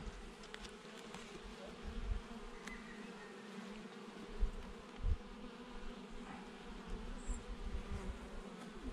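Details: Honey bees buzzing inside an open hive during a June 2021 apiary inspection ahead of the summer honey flow; continuous low droning hum broken by a few dull knocks and thumps from frames being handled.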